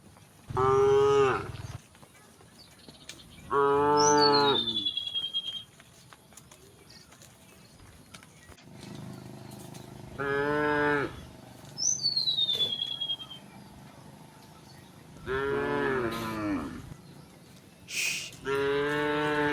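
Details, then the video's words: Resident cows calmly wandering on a road in a rural village, mooing in long harmonic-rich calls, about six moos spread through the recording; descending whistled bird calls sound between them. "a group of cows wandering on the road, resident cows, the sound of cows mooing"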